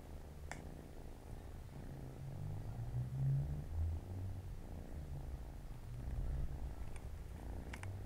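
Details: Siamese cat family, four kittens playing beside their mother on a Saturday afternoon indoors; a steady low rumbling purr swells and fades over about eight seconds, with a few faint soft clicks on top.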